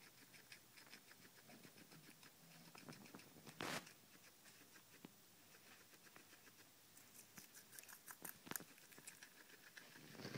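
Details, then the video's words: Guinea pigs crunching cucumber given as an evening treat; continuous fast nibbling clicks with a couple of sharp scraping bangs midway and late. "guinea pig munching cucumber"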